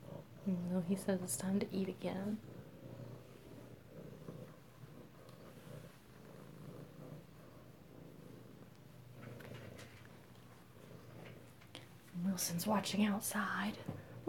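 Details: Kittens purring close-up at home in Alabama, 7 February 2018: a soft, low, steady rumbling purr fills the long middle stretch, with a person talking at the start and again at the end.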